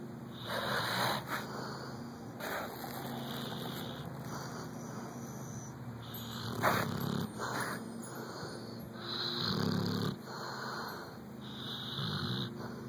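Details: Karmel, a chocolate Labrador Retriever, snores while asleep with eyes partly open: soft, breathy, rasping snores rise and fall in uneven bursts across the recording, with a low rumbling undertone and no other clear sounds.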